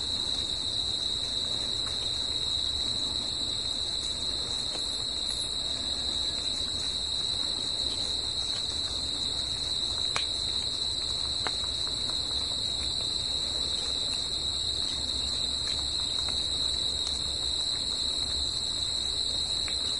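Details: Crickets singing at night in nature, a dense, unbroken high-pitched trill holding one steady pitch with a fainter higher overtone, over a soft low background rumble and a few scattered clicks.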